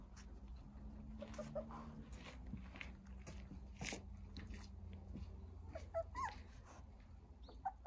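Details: Nine Jindo puppies sunbathing in a large playpen built in a front yard. A few short, thin, high whimpers rise and fall near the end, over a steady low rumble with soft rustling and shuffling.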